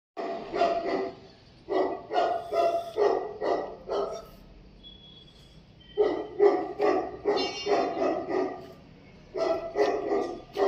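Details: Tibetan Mastiff barking in loud, deep, resonant bursts, delivered in runs of four to six barks separated by short pauses, with a faint whistle-like tone in one gap.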